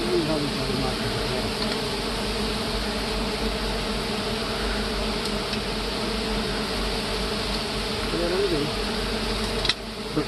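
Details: A big honey bee colony in hardwood forest, disturbed by honey harvesting, producing an unbroken, even droning buzz across low and mid pitches, a brief sharp click near the end.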